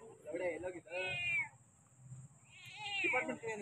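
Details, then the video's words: Domestic cat giving two drawn-out meows, each rising and then falling with rich harmonics, separated by a short pause; a faint steady high-pitched tone sits in the background. "Cat sound and attitude ll ಬೆಕ್ಕು, kootti ,Tom, messi, meyyo"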